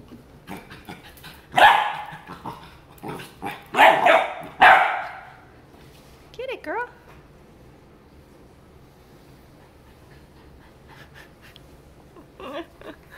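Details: Pet Labrador Retriever Piper in Miami meets a new toy, giving three loud, harsh barks within about three seconds, then a short wavering whine, followed by quiet with faint later whimpers.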